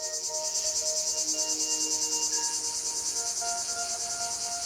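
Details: A cicada in the sun-baked Mediterranean garrigue of Provence gives a high, dry, steadily pulsing buzz, the male's mating call announcing his availability to females.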